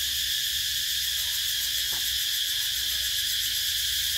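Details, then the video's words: Summer cicada chorus: a continuous shrill, hissing buzz at constant volume with a slight pulsing texture, plus one brief faint click partway through. "Tiếng Ve Sầu kêu mùa hè"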